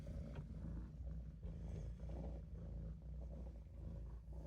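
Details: Maine Coon cat Olof napping in a sink, purring as a steady low rumble with even layered tones and a gentle breathing rise and fall throughout.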